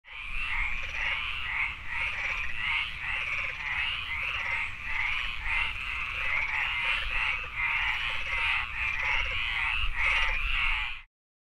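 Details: Frogs calling in a city, a dense chorus of rapid, raspy croaking pulses repeated continuously with a steady rhythm, over a low background rumble.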